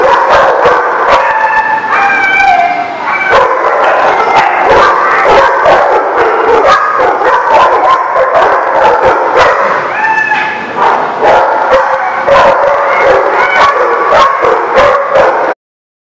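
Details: Dogs recorded on 26 February 2018 give a continuous chorus of loud barks and shrill yips from several animals at once, with a few drawn-out howling notes mixed in and no break in the noise.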